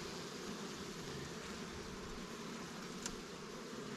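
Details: Honey bees at newly captured swarm hives, Langstroth and Warre, in an apiary while frames of resources are moved between colonies; a steady, even buzzing hum runs throughout, with one brief sharp click near the end.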